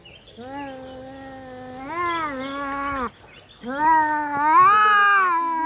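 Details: Fighting domestic cats give two sustained yowls, the first steady then rising and swelling, the second louder and climbing higher before breaking off, with quiet gaps between.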